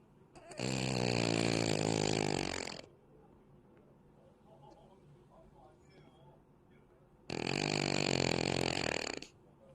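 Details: Snoring cat, two long rough rasping breaths of about two seconds each, spaced roughly six seconds apart, with quiet room hush between them.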